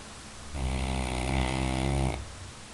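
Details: A Labrador Retriever snores once, a single drawn-out rasping inhale lasting about a day's breath of one and a half seconds, buzzy and throaty with a deep rumble, against a quiet indoor background.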